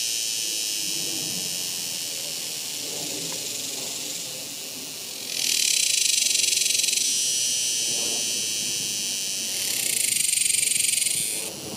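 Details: Cicadas singing in summer: a dense, continuous high buzzing drone that swells to louder pulsing surges around the sixth and tenth seconds, with faint lower background sounds.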